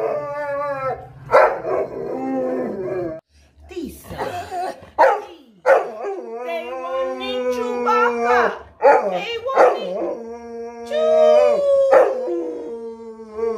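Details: A dog howls in long, wavering tones, joining a person who howls and speaks the fictional Huttese language.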